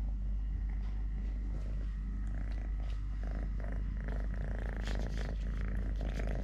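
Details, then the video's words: Totoshka, a three-legged pet cat, purring steadily while eating, playing or walking; a continuous low rumble with scattered light clicks and rustling handling noises on top. "LITTLE GREMLIN PURR PURR | Having Food, Playing, Walking, Fighting with hand, purring"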